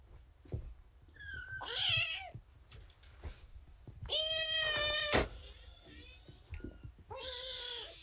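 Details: Domestic kittens, litter rescued after being found abandoned in a box beside a road, now at Purrfect Pals shelter, indoors during morning lap and snuggle time; three high, rising-then-falling harmonic meows spread over eight seconds with faint rustling between.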